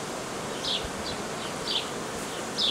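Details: Honey bee swarm tended by a hobby beekeeper on 18 May 2018, the swarm headed by a queen from last year or older; dense steady humming buzz, with high, short, falling chirps recurring about once a second above it.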